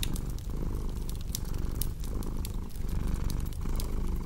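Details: Low, continuous rumble of a purring cat, pulsing in breath cycles every half second or so, with bright snapping crackles of a fireplace scattered over the top.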